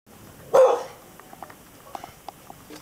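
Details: Sunny, a pet dog, complaining that the thunder is noisy: one loud, short, rough bark-like cry about half a second in, then quiet with faint clicks and ticks in the room.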